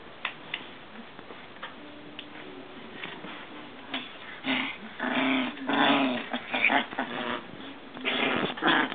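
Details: Maltese dogs, three sisters from one parent-and-offspring family, playing together with a frog; low harmonic growling rumbles build through the second half in longer, louder bursts, mixed with scuffling and rustling noises.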